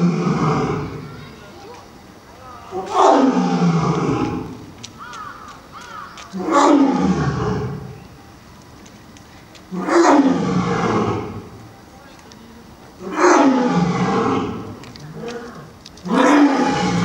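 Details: A mated male and female lion pair at a zoo park roaring in turn: deep, drawn-out roars falling in pitch, each burst lasting about a second and a half, repeated roughly every three to four seconds.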